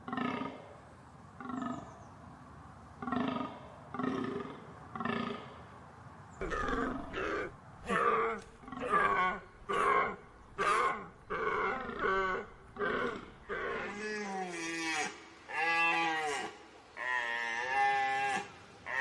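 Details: Deer calling in a long series of harmonic bellows, some rising and bending in pitch, repeated about once a second with short gaps. The later calls grow brighter and more tonal.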